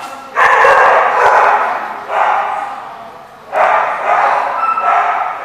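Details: Dogs at a dog park, recorded 21 July 2014: three loud, broad, rough barks, the first and last each followed by a trailing second bark, spaced about one and a half seconds apart.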